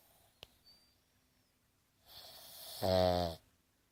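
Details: A Boston Terrier snores with its eyes open: a hissing intake of breath builds for about a second, then becomes a short, deep, vibrating rattle. A faint click precedes it in a quiet room.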